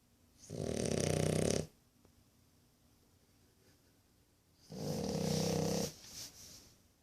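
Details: A one-year-old French Bulldog puppy snores after a hard day of playing, in two long, rasping, rumbling breaths several seconds apart.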